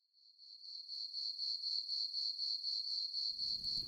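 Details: Crickets chirping in a calm campfire setting: a steady, high, pulsing trill that swells in over the first second and holds throughout, with a soft low rumble near the end.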